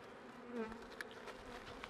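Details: Honey bees from a struggling hive being helped through late winter toward spring, a steady low buzzing hum with harmonic bands, brief clicks and a faint higher tone near the middle.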